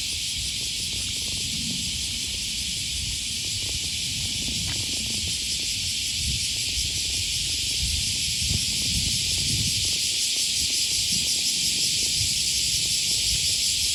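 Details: Loud cicada chorus along the Okawa River in Osaka, Japan, on the first Thursday of August 2020, morning. An intense, steady, high buzzing that grows slightly louder, with rumbling traffic and footfalls below.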